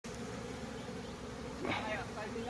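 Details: Bees at a hive fitted with a pollen trap, early morning; a steady low droning hum runs throughout, with a person's voice breaking in after about one and a half seconds.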